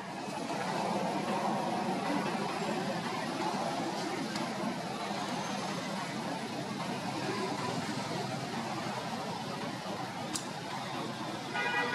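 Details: Steady broadband rumble like traffic or engine noise, with no clear animal voice. A faint thin tone and a brief click are heard near the end.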